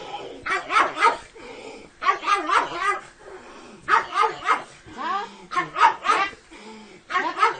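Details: Dog barking in a funny compilation: short harmonic yelps come in quick clusters of three or four, with pauses of about a second between bursts and some background voices.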